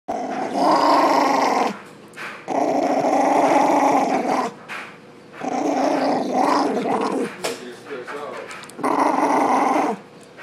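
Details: Poodle in attack mode indoors, letting out long rumbling growls in sustained bursts of about one and a half to two seconds, separated by brief quiet gaps, rough and steady throughout.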